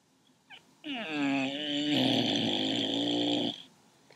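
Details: Pet dog snoring indoors, said to snore like an old man, as it usually does: one long drawn, voiced breath with a wavering tone and rising buzz, lasting nearly three seconds, after a short soft sniff.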